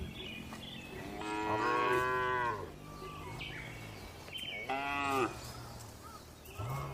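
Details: Calm cattle in a well-kept farm barn, two long harmonic moos a few seconds apart plus a fainter third at the end, under a low droning hum and faint higher calls from other animals.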